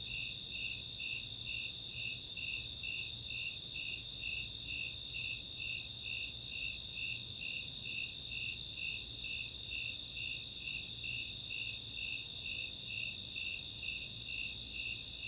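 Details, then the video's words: Snowy Tree Crickets and Four-spotted Tree Crickets calling together on a summer night at Chautauqua open space, Boulder, Colorado; evenly repeated high chirps roughly two per second above an unbroken shrill trill. "Nighttime crickets"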